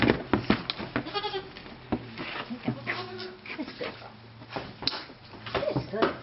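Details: Goats bleat in wavering, quavering bursts as a woman fits them with new collars to control them better before a hike; she thinks they are excited about their new collars.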